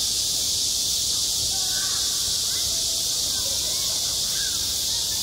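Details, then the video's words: Cicadas calling in midsummer at a schoolyard, an unbroken high, sizzling drone dominating, with scattered faint lower chirps and murmurs beneath. "한 여름 운동장에서 매미가 울고 있다"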